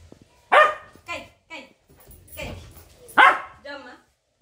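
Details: Three-month-old Labrador Retriever puppy playing with a grandmother and asking for tea gives a series of short, sharp barks and yips, two of them loud, spaced irregularly over four seconds, with a woman speaking between them.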